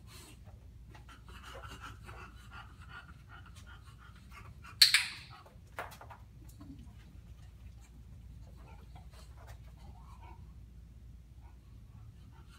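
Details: Female bulldog Violet, in training to place all four feet on a platform, breathes in faint rapid rhythmic pants, broken by one loud click and a softer knock.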